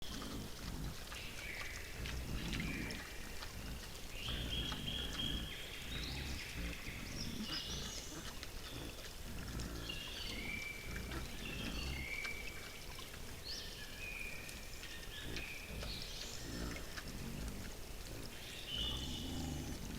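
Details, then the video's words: Wild boars come to feed, giving low, rough grunting bursts in irregular clusters, loudest early and again mid-way, while birds whistle short high phrases above a steady outdoor background. "Кабаны пришли полакомиться"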